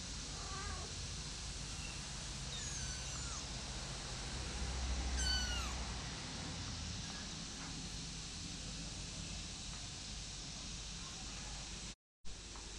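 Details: Kittens one month old, brought out of doors, give two short, high-pitched falling mews early on, followed by a long stretch of steady, even background noise with no further calls.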